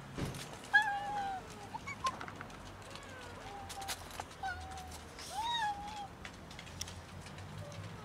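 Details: Several cats waiting near a building for someone to feed and pet them, giving repeated short meows with falling and bending pitch, one after another, over faint background noise and clicks.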